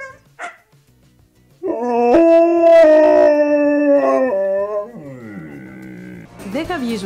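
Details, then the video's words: Siberian Husky, a breed whose howl is said to be audible up to 15 km away; after quiet opening, a sustained howl with a pitch step upward, then falling, fading tones and a short final rising note. "Πιο αναλυτικά, έχει παρατηρηθεί πως όταν ουρλιάζει ένα Χάσκι, μπορεί να ακουστεί μέχρι και 15 χιλιόμετρα μακρυά!"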